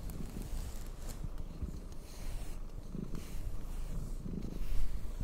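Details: Domestic cat purring steadily while being brushed, a low continuous rumble with soft rhythmic brushing strokes over it.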